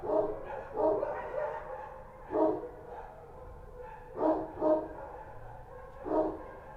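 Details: Kochi street dogs barking at night in Kabul. Single gruff barks and short pairs come at uneven intervals of one to two seconds, with quiet murmur between.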